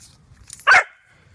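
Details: Corgi during stay and recall training outdoors giving a single short sharp bark, followed by a faint trailing tone and quiet background.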